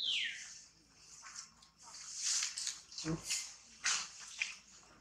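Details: Shrill tantrum cries from baby monkey Tobais as mother Toma treats it roughly; opens with a downward-sliding squeal, then rough, piercing screams swelling and fading, with one low thump midway.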